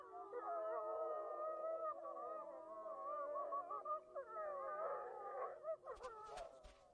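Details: Several gray wolves in Yellowstone howl together after attacking a coyote, in long, overlapping, wavering tones that rise and fall.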